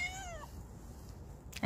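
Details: Stray cat Ruby, described as mischievous, lets out a brief clear meow, slightly rising then dropping, lasting under half a second, followed by quiet and a sharp knock at the end; a person calls her name nearby.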